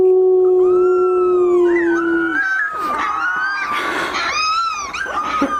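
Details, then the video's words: Puppies learning to howl: a low, steady, sustained howl gives way to higher, wavering howls, with several voices overlapping in a thin, quivering chorus. "Cutest Puppies Learning to Howl"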